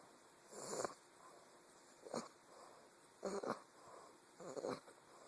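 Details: Sleeping English bulldog puppy snores on a phone recording: four short, wheezy, rattling breaths spaced about a second apart, set against a soft constant hiss.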